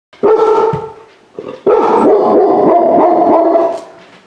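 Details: Rescued large-breed puppy, saved from a high-kill shelter hours before euthanasia, on his first time inside a home: a short harmonic bark, a pause, then a long, drawn-out, wavering cry lasting about two seconds.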